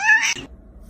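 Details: Domestic cat named Mr. Chief, called spicy, lets out one short, bright meow lasting about a third of a second, rich in overtones and slightly rising, followed by near silence.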